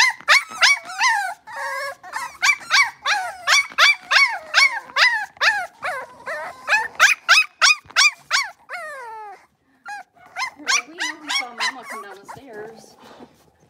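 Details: A litter of five blenheim Cavalier King Charles Spaniel puppies in an indoor pen, yapping and whining in fast, rhythmic bursts of high bent yelps, pausing briefly, then resuming with softer whimpering notes.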